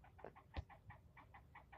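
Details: Squirrel yelling at the person filming, who had been scolded for nearly ten minutes; a quick run of nasal, harmonic barks, about five each second, evenly spaced, with low background rumble.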